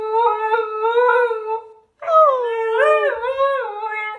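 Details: Golden Retriever puppies howling indoors: a long, even, tuneful howl, a brief pause, then a second howl that wavers up and down in pitch.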